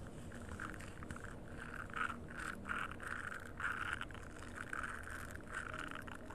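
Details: Rhythmic rasping frog calls repeat about twice a second in a nature setting, each burst a short, scratchy pulse at middle pitch, with a steady low rumble running underneath.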